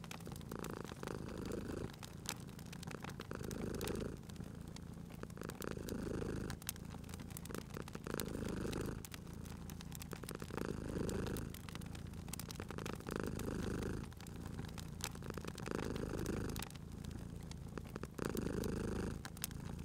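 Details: Long stretch of contented purring from a sleeping cat by a crackling fireplace: a continuous low rumble pulsing louder and softer about every two and a half seconds, accompanied by constant popping fire crackle.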